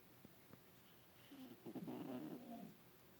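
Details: Bubba, an adopted domestic cat, snoring while asleep in a lap for the first time, twitching in his sleep; a quiet start, then about a second and a half of raspy, low, humming breaths with soft tonal bands.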